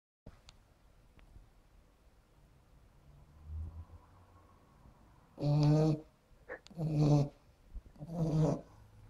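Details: Sleeping puggle dog snoring loudly while sprawled in an odd sleeping position: quiet breathing at first, then three deep, rasping harmonic snores roughly every one and a half seconds, with soft indoor background.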